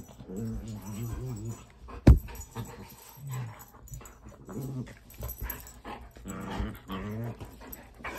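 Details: Playful low growls from a chocolate Labrador Retriever indoors with a pet rat, in broken rumbling bursts with tonal grumbles, one sharp thump near the start and faint voices in the background.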